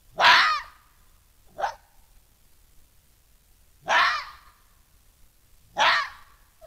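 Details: Den dispute between red foxes, with the vixen holding her burrow against an attacking male: four harsh, gravelly screeches spaced roughly two seconds apart, one shorter and thinner than the others.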